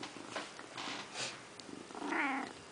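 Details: Pet cat in a bathroom sink during its bath, with soft licking and rustling noises, then a single harmonic, slightly wavering meow near the end, in a small quiet room.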